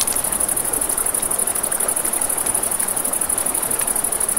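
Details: Night-time crickets by a river give an unbroken, rapidly pulsed high-pitched trill, while a campfire crackles and river water murmurs in the background.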